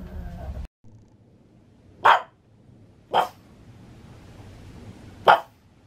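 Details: Indoor pug in Saitama, Japan, barking at thunder on 6 May 2020, giving three separate sharp, explosive barks roughly one to two seconds apart against a quiet low hum, after a brief louder noise at the start.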